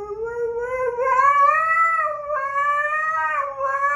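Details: A 4-year-old male Siberian Husky, known for "singing", gives a long, smooth howl that rises slowly, then holds and wavers.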